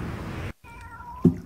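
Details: A kitten trapped inside a hollow rubber fender on a quay in Tosa, Kochi, Japan, during a three-hour rescue on August 30, with its mother nearby, gives a thin, drawn-out, downward-sliding meow over low rumbling noise.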